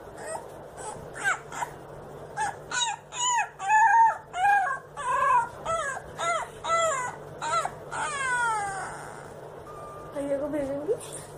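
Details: Puppy howling from a compilation: quick run of short, yelping howl notes bending up and down, several per second, then a falling drawn-out wail and a few quiet whimpers over a low hum.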